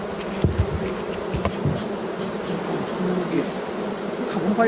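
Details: Kept honey bees humming steadily, a thick low-pitched drone of many insects that barely changes in loudness, with a few faint clicks and bumps.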